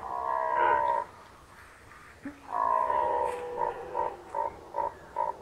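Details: Rutting red deer stag in Unteres Odertal National Park, 2019: a deep, harmonic roar, a pause, then a longer roar that breaks into a string of short, evenly spaced grunting bursts.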